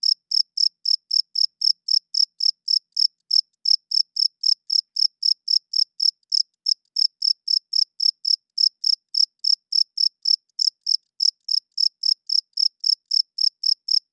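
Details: Loud cricket at night, the male chirping with its wings to attract females and defend territory; a long, even train of shrill high chirps, about three to four per second, broken by two brief pauses, otherwise silent.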